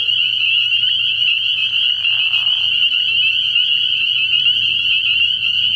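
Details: Night chorus of many spring peepers at a frog pond early in the year, shrill high peeps merging into a constant ringing band; a short soft whoosh around two seconds and a quiet low hum in the background.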